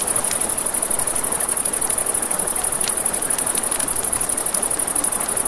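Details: Crickets chirp at night near a river in a fast, high, evenly pulsed trill, joined by frequent bright crackling pops from a campfire and the low steady rush of water.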